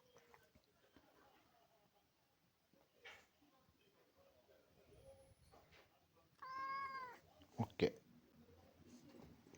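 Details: Sette, a male Maine Coon cat born July 2021, at home indoors as mealtime is mentioned: quiet room noises, then one loud, drawn-out harmonic meow around the middle, followed by a short sharp cry and faint human voices.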